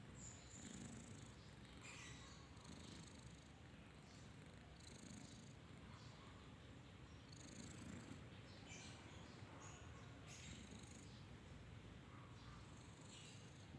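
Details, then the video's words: Sleeping kitten snoring: a faint, steady low rumble runs throughout, with soft high chirping sounds in the background. "Kucing Lucu Banget, Tidur ngorok"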